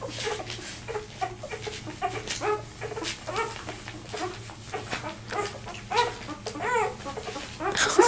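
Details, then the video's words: Two-day-old Vizsla puppy, one of a litter of seven, left behind and crawling toward its mother while complaining. It gives a rapid run of short, high squeaks and whines, several each second, with rustling background noise. "2 day old viszla puppy got left behind and trying to find his way to his Mom"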